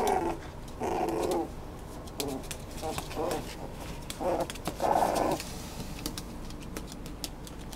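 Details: A Schnoodle whimpering in a string of short, nasal whine bursts every second or so, the loudest near the end, with small clicks and handling noises behind.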